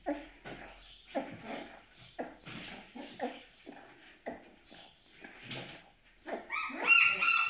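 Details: Malaklı pup, 12 days old, Aksaray, Turkey: quick high-pitched whimpers about three per second, each a brief tonal squeak, ending in a louder, sustained shrill cry.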